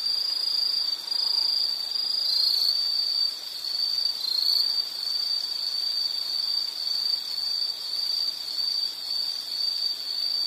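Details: Insect calls form a continuous high trill that wavers slightly in strength, with faint other high chirps and a steady background hiss.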